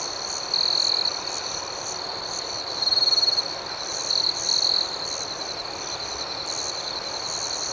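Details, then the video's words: Chorus of crickets at night: an unbroken high trill with faster pulsed chirps on top and three louder ringing bursts, near one, three and four and a half seconds. "Soothing Cricket Sounds"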